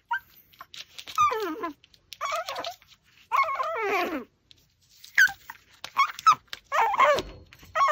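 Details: Pomeranian eating a raw pork backbone, whimpering and whining in short rising and falling bursts, some with wavering pitch, spaced about a second apart, with quiet gaps between.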